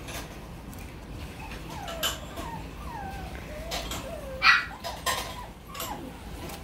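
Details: West Highland White Terrier puppy whimpering: thin, high whines that rise and fall, several in a row over a few seconds, over soft clicks and handling noises.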